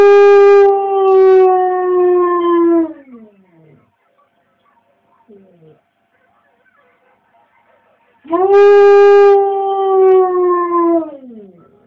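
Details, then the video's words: Female pet dog howling along with wolf sounds played from a computer: two long, steady, harmonic howls about three seconds each, sliding down at the end, separated by a quiet gap holding faint, brief falling tones. "my dog howling"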